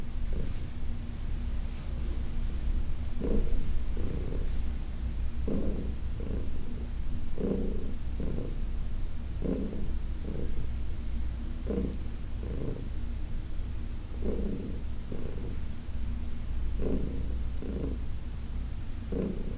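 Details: Heidi, a senior female cat adopted from the Humane Society of New York City, purring during a massage on August 4, 2021; a low continuous rumble with brighter pulses roughly every second, following her breathing.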